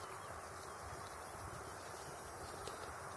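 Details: Tettigetta dimissa chirping among apple plantations at Boleč, 4 June 2015, a steady unbroken high, thin buzzing drone throughout, with a low outdoor rumble beneath.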